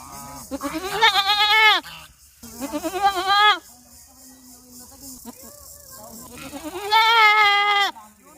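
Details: Goat bleating loudly in a village: three long, harmonic, slightly wavering baa calls about a second each, the first two close together, the last after a quieter pause with a faint lower bleat between.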